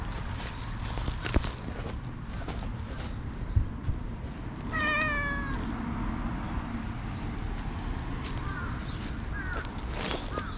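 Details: A black stray cat in a park, playing with a person and biting; one clear, slightly wavering meow lasting about a second, with fainter short mews later over a steady low rumble of outdoor background noise.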